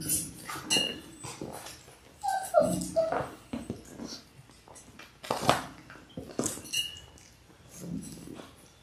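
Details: Six Labrador Retriever puppies in their sixth week, born January 18, 2022, on an indoor puppy cam. Brief high whimpers come in a few short bursts amid steady scuffling, shuffling and light knocking noises.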